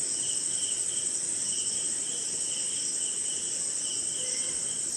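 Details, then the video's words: Jungle crickets at night in Indian rain: a dense high continuous trill with evenly rhythmic lower chirps about every half second, plus gentle rain hiss in the background. "Sleeping Night in Jungle - Cricket & Swamp! Forest Sound"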